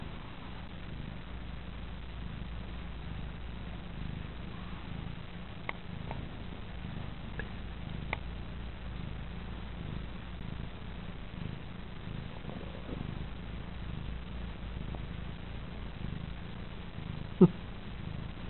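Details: Sleepy, contented pet cat Petaline lying on her owner's lap, purring in a low, even rumble that rises and falls with her breathing, with a few scattered clicks and rustles, one sharper knock near the end.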